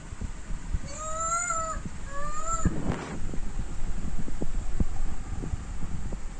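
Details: Monkey waiting for food: two drawn-out, slightly rising tonal calls over steady low rumbling background noise, followed by a brief rustle.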